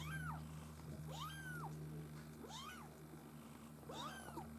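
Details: Litter of Maine Coon kittens from a breeder's U litter, giving four arched, rising-then-falling mews about once a second, over a steady low electrical hum.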